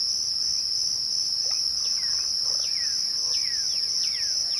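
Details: At twilight, crickets sustain a piercing, even trill from start to end, while scattered short falling whistles from another caller cut through in the second half.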